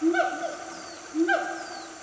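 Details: Siamang family, one of a loud group of wild Siamangs in Gunung Nuang forest, Selangor, Malaysia, around 10 am on a cool morning: two rich harmonic hoots about a second apart, each rising then falling, over steady insect hiss.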